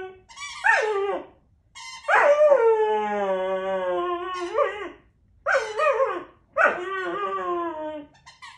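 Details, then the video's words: Puppy whining over a squeaky toy, long drawn-out nasal whines with bending pitch, a sustained cry lasting nearly three seconds, then shorter sharp whimpers after a pause. "Super cute puppy whining with his toy"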